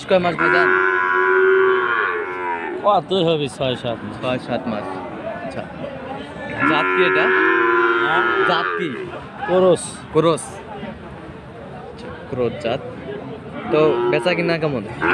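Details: At Aftabganj cattle market in Dinajpur, Bangladesh, on 18 March, Friesian and crossbred bull calves bellow: a long moo at the start, another around the middle, and shorter calls later, amid busy crowd voices and shouting.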